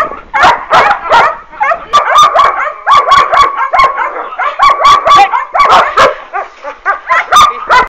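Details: Working-line German Shepherd puppies, children of Boris Solidblack and Tisia de la Senda, mixing thin whining whimpers with clipped high yips and barks, several voices overlapping throughout.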